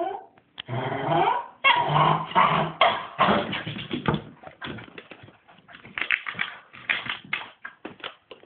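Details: A hyper Cairn Terrier puppy, excited after his morning walk, lets out a rapid, uneven string of whines, yips and growly grumbles.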